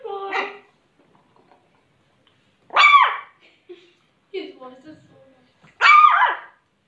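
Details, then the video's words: A happy Shih Tzu puppy giving its first barks: a softer opening yelp, then three high, arched yapping barks about 1.5 seconds apart, with faint speech in the quiet gaps. "Shih tzu puppy's first bark"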